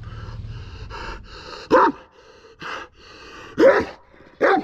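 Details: {'caption': 'Aggressive Kangal dog barking: a few loud, harsh barks spaced about a second apart, after a stretch of softer, tonal whining and panting sounds.'}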